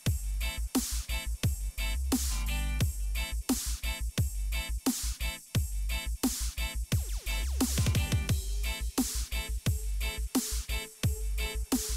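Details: Loud electronic dubstep music with heavy bass beats and sweeping synth effects plays throughout, and no animal sound is heard.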